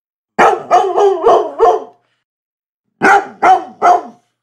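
A Labrador Retriever barks in a quick run of five, pauses, then gives three more.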